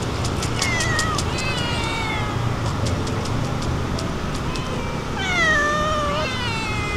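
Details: Tuxedo cat growling while eating because it does not want to be disturbed; several drawn-out, falling, harmonic wails that rise and sink in tone, with a steady low outdoor rumble behind them.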